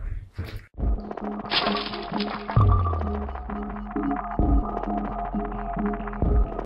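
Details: Music with steady notes runs throughout, broken by thuds and knocks, with no animal voice.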